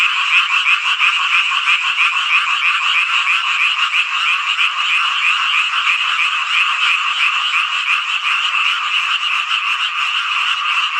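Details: Summer-night chorus of frogs in Hongcheon, Gangwon Province, South Korea: a thick, ceaseless mass of rasping croaks with a quick, fairly even pulsing rhythm and no other sounds.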